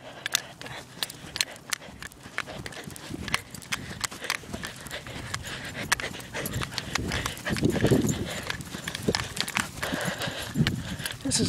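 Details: At a busy dog park with at least ten other dogs present, a dog pants steadily throughout, with footsteps, scuffling and outdoor background noise.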